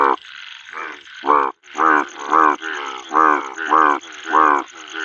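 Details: Male bullfrog calling at a pond during monsoon rain: deep, rough, harmonic croaks come in steady bursts about every half second to second, each loud and throaty, with a soft hiss of falling rain between them.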